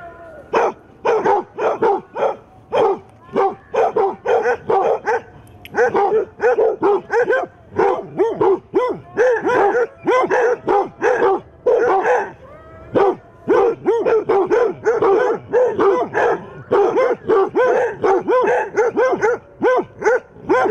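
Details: Eight basset hounds bark steadily at a mechanical Halloween cat set out as a decoration, a long run of rhythmic deep barks and bays from several dogs, few gaps.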